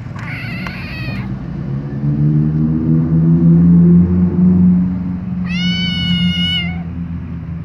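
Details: Loud meows from a white kitten while its mother licks it: a short cry near the start and a longer, strongly harmonic wail around five to six seconds, with a low humming drone between them.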